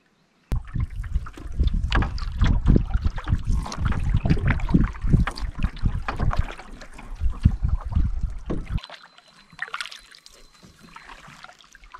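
Paddle strokes and splashing water from a canoe, then quieter trickling water, with no animal calls.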